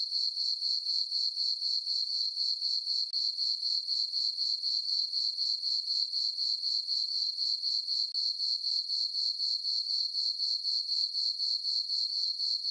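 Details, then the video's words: Night-time crickets in a meadow on a farm under a full moon and dark sky, summer: a continuous bright, tinkling chirp repeated rhythmically around four times each second, steady in loudness, no other sounds. "Cricket chirping sounds"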